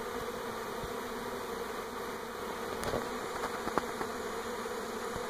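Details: 2018 honey bee swarm in NE Portland during a move between hives: steady collective humming overlaid by a handful of brief clicks and taps near the middle.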